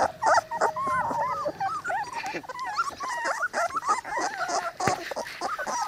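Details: A litter of three-week-old Cane Corso pups from Zola and Ziko, brought outdoors in good weather, keeps up rapid, overlapping yelps and wavering whines, with a few sharp clicks and knocks among them.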